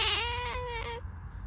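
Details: Domestic cat giving one drawn-out, wavering meow with a slight quaver midway, ending abruptly, then quiet room noise.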